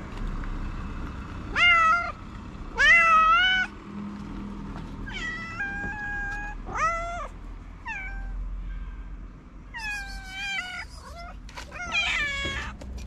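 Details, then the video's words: Hungry feral street cats meowing while waiting for food; several cats give drawn-out, wavering meows, rising then falling, some overlapping, with a steady low hum of traffic or urban noise behind. "Hungry cats waiting for the litter thank me after getting delicious food."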